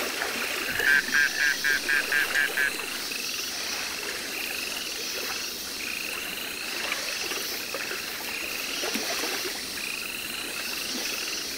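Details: Baron's mantella, a Madagascar frog, kept at Parc Zoologique de Paris in September 2014: a quick run of about eight short clicking notes over two seconds, followed by faint repeated buzzy dashes and steady background hiss.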